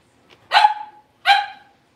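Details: Cavalier King Charles Spaniel puppy, one of a blenheim litter of five born over New Year's, barking indoors in a new, larger puppy pen: two loud, sharp barks about three-quarters of a second apart, each trailing off briefly.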